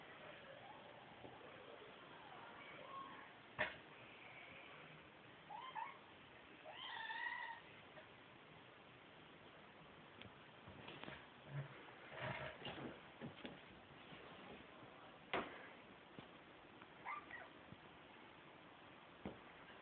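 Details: Two identical pet cats, Bug and Feature, playing with each other indoors; short harmonic meows around seven seconds, with scattered thumps and clicks of play throughout.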